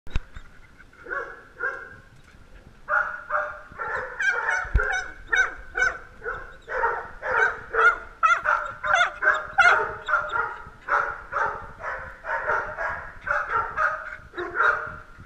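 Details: Several little dogs vying for camera time, yapping in rapid overlapping bursts of high, harmonic barks that run almost continuously after the first few seconds.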